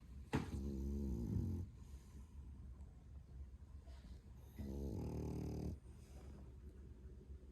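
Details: Male French Bulldog puppy, 11 months old and 8.7 kg, snoring loudly indoors: two long, rough, low rumbling snores, each lasting over a second, separated by quiet breathing.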